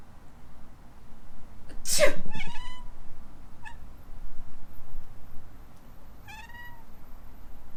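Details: Sneeze followed at once by meows from Alana, a rescued female kitten in Hawaii who always reacts when her owner sneezes; a short chirp, then a clear rising-falling meow a few seconds later.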